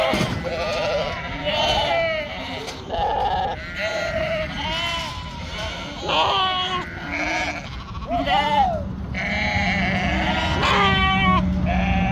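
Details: Sheep bleating on a farm in northern Spain: a ewe and flockmates give many short, quavering bleats in quick succession, some rising and falling, over a steady low hum and faint voices.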